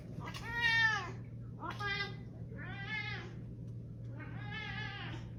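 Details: Domestic cat meowing four times in a row, each a drawn-out, harmonically rich, slightly wavering meow about a second long with short pauses between, over a steady low electrical hum.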